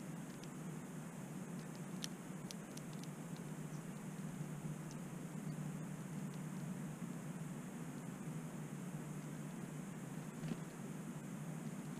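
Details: Only a steady low rumble like distant traffic, with a few faint clicks and no animal calls.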